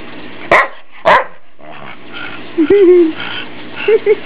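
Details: Pet family dog being teased by its household, said to love the attention: two sharp, loud barks in quick succession, followed by whining, low yelping sounds and short high yips near the end, in an indoor room.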